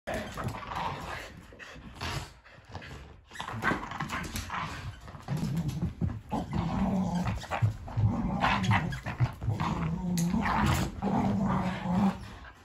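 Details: Kumo the Keeshond and Sully the Boston Terrier battle over a carrot indoors; low, rumbling growls rise and fall continuously, mixed with scuffling and brief snarling bursts throughout.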